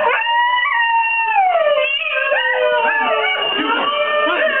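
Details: Pet Siberian Husky howling in answer to a played recording of howling wolves; long, drawn-out tonal howls slide slowly downward, with several voices overlapping and wavering through the whole stretch.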